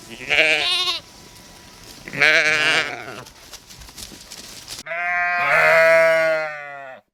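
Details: A flock of sheep in the countryside bleats in a series of wavering, nasal baa calls, each lasting about a second.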